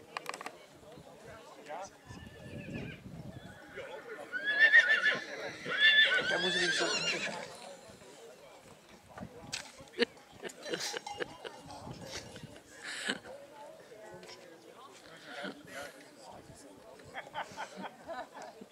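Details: Black Forest draught horse filly, born 26 March 2022, at the St. Märgen foal show in Germany in August 2022, gives a shaky whinny midway through, surrounded by talking voices and clattering hooves.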